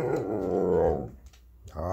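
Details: Red Siberian husky puppy talking back at things indoors: a drawn-out, rumbling growly moan lasting about a second, a short pause, then another low vocal rumble begins.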